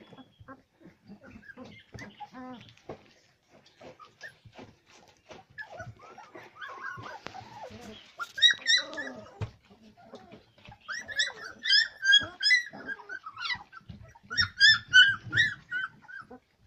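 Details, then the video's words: Labrador retriever puppies indoors, whimpering in quiet scattered yelps at first, then bursts of high, harmonic whines repeated in clusters about every second from midway on, with soft rustling and handling noises underneath. "Labrador Pups"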